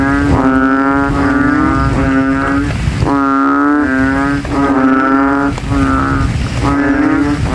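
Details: Banded bullfrogs (kodok kintel) call from a rain puddle in a cemetery at night after rain, throats inflated, many rivals competing to be loudest; deep, droning, harmonic bleats overlap almost without pause in a dense chorus.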